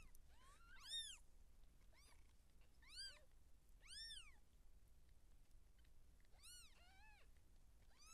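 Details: Giving birth, a seal point Siamese cat in labour as kittens arrive: repeated bright, strongly arched meows, several loud and strained, clustered around one, three, four and six and a half seconds, with quieter bends between.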